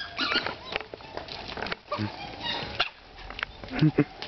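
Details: Captive dholes (Asiatic wild dogs) at Terra Natura zoo in Benidorm, Spain, playing after feeding, give short, squeaky, whistling calls and chatters, with human voices in the background.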